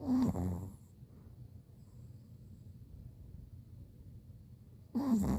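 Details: Pomeranian named Bori napping eight days after kneecap surgery, snoring: a rough, low snort at the start, a long quiet stretch of faint breathing, then another snorting snore at the end.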